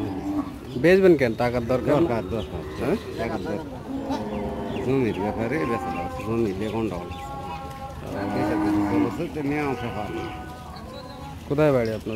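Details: Holstein Friesian cow at Chowbaria bazar manda, Jagraon, said to give 10 litres of milk; deep, drawn-out moos with bending pitch, several in a row, with people talking in the background.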